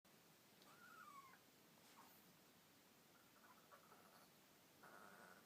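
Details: A Chihuahua, unhappy that another dog is hogging the bed, makes thin, wavering gurgling whines that slide downward, a bit like a bleating goat.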